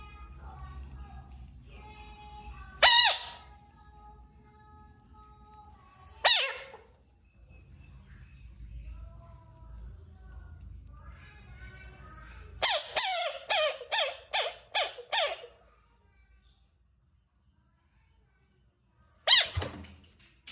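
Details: Screaming bullfrog giving a few isolated sharp, harsh cries, then a rapid run of about six shrill harmonic screams with falling ends, followed by quiet and one final scream; faint tonal sounds murmur in the background.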